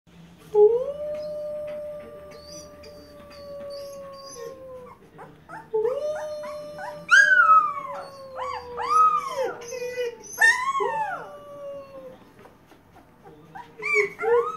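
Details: A 10-day-old wolf pup howls in response to its owners' voices, giving thin, wavering howls that break into rising and falling yelps.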